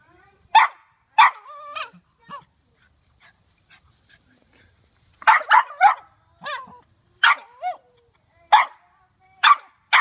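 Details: A Cairn Terrier, alarmed by a cucumber hanging nearby, gives sharp, high-pitched barks in quick bursts, mixed with short whiny yips.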